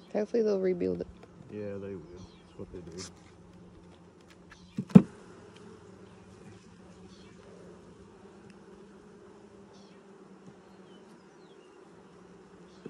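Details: Honey bee colony, first hive inspection of 2020, six days after installing nucs: a human voice speaks over the opening seconds, a sharp knock follows, then a smooth, steady buzzing drone carries on to the end.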